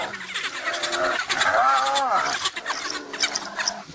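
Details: Spotted hyena under threat from wild dogs, giving loud, wavering, whining calls that rise and fall in pitch, with a harmonic-rich cry arching up and down near the middle, amid rough background noise.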